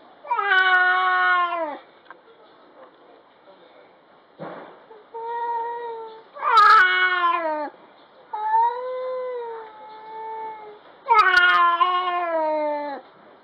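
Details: Stray cat in a garden, grumbling in a fight before a pounce and a scolding. Long, drawn-out, wavering harmonic yowls come in three loud bursts near the start, middle and end, with quieter moaning growls between them.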